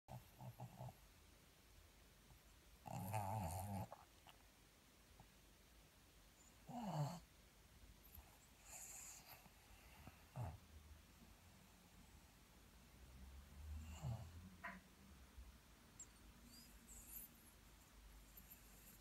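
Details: Pug snoring, a few low rasping snorts spaced several seconds apart with quiet breathing between, one louder snort near the start.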